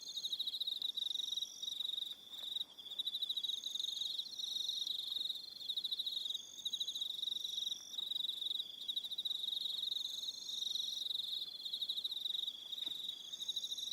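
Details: Evening crickets on Aroha Island, New Zealand, form a dense, steady high trilling chorus with rapid pulsing. Higher, thinner chirping layers come and go above it, with a few faint clicks in the background.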